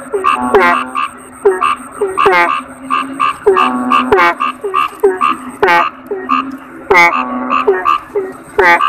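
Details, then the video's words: Several toads (kodok bangkong) croak together in dense rhythmic bursts of short, resonant, bouncing notes, with occasional sharp clicks and a faint continuous high whine throughout. "Suara Kodok Bangkong"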